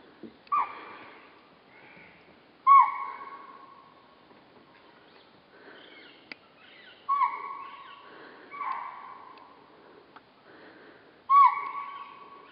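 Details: Chital at Kanha, India, give loud, piercing yelps that begin abruptly and tail off into a drawn-out, slightly nasal tone, at irregular intervals of two to four seconds against a quiet background.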